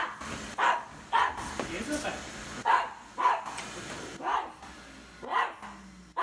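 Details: Indoor recording of Isabelle the Cavalier King Charles Spaniel reacting to a vacuum cleaner: repeated sharp barks about every half to one second, mixed with a person talking and household background noise.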